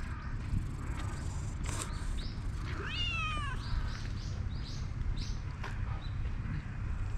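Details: Stray calico cat calling as a black cat comes over; one short descending meow midway, with faint bird chirps and a constant low hum of outdoor noise.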